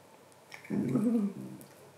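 A Basenji gives a brief, wavering, yodel-like whine with a low, warbling pitch.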